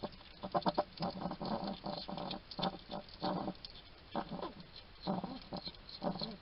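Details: Male hedgehog feeding in a Somerset garden in the UK, making loud smacking, crunching chews in quick clusters with short pauses between mouthfuls, close and clear over a low hiss.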